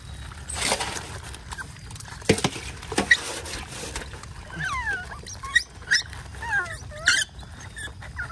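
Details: Otters in mangroves, eager for their breakfast of fish, give high squeaky chirps that bend downward in quick sweeps, clustered in the second half among splashing and rustling water sounds.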